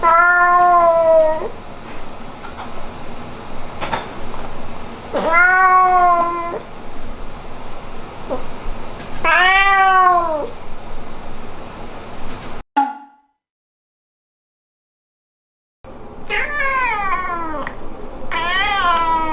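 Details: Household cat Hamu-chan, whose voice changes between the parents and its much-loved daughter, calls in a run of loud, rising-and-falling meows spaced a few seconds apart, broken by a brief silence, then two more meows.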